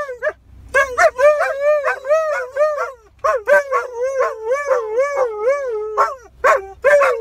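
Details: A Siberian Husky howls at sirens, alongside a German shepherd it is teaching to howl, in wavering, yodel-like tones that rise and fall in quick, broken phrases.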